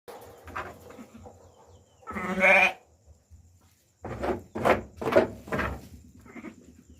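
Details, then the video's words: Sheep during lambing, one loud wavering bleat followed by several shorter harsh bleats after a brief silence, with a steady high background tone. "Panganganak ng tupa"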